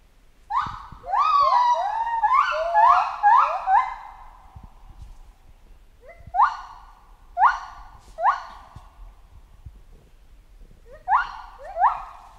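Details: Jungle chimpanzee voice: a dense burst of overlapping, ringing cries that rise quickly and fade, then single calls spaced about a second apart with short gaps between them.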